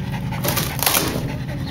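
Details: A female Jack Russell Terrier digging under a shed on a scent pants and sniffs in quick, breathy bursts over a low background hum.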